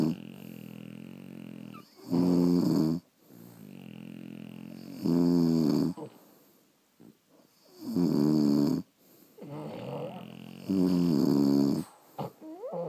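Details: French Bulldogs asleep indoors, snoring in a steady rhythm: loud, buzzy, harmonic-rich snores of about a second each, recurring roughly every three seconds with quiet breaths between them.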